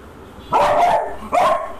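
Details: A beagle that is afraid of a bug gives two loud, sharp barks about a second apart.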